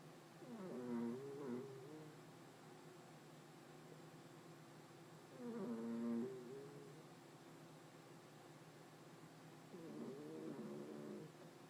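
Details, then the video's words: Hopey, a pet cat in deep sleep, snoring loudly: three harmonic, slightly rasping snores about five seconds apart, each around a second long, over a steady low background hum. "My cat Hopey having a good snore"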